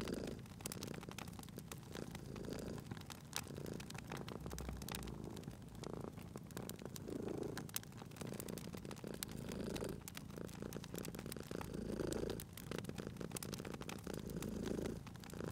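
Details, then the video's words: Domestic cat purring while asleep by a crackling fireplace in a cozy spring atmosphere. The low steady rumble swells gently every two to three seconds beneath dense, frequent crackling and popping from the fire. "Cute Purring Cat at a Crackling Fireplace"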